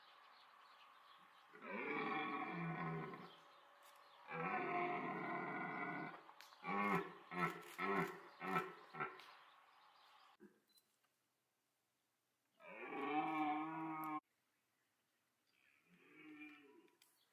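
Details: Rutting red deer at Parc Sainte-Croix in autumn, the bellowing call that draws females, amid pursuit, mating and a fight between stags; two long hoarse roars, then a rapid burst of short grunting barks, a pause, and two more roars.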